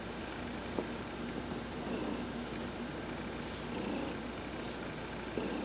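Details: A contented cat, Heidi, purrs during a massage while sunbathing, November 19, 2020. A soft, continuous low rumble swells slightly at times, with brief high tones and a few small taps or clicks.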